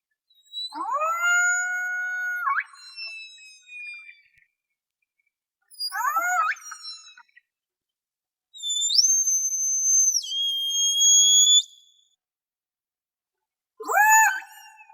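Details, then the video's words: A single killer whale (Orcinus orca) in False Bay, South Africa, gives long tonal whistles that sweep upward, hold, then step down; hydrophone recording from a small boat, 26 January 2021. "Killer Whale (Orcinus orca) - Sea Search Sound Library"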